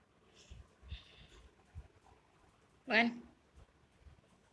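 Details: A single rising, bright meow comes from The Rock, a drowsy house cat being roused from sleep, after a few soft taps and rustles in a small quiet room.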